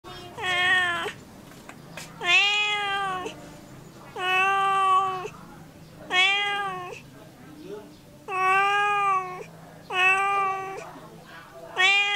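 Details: Domestic cat giving a steady series of clear, harmonic meows, each about one second long with a slight rise and fall, repeated roughly every two seconds; seven calls in all over a quiet indoor background.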